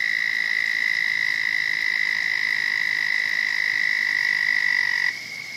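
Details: Frog in a pond shared with a turtle, giving a steady, unbroken high trill held at an even pitch for about five seconds before it suddenly stops.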